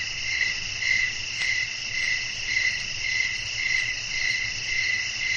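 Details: Crickets at night with wind: rhythmic chirps repeat a little under twice a second but blur into a dense, high, continuous insect hum.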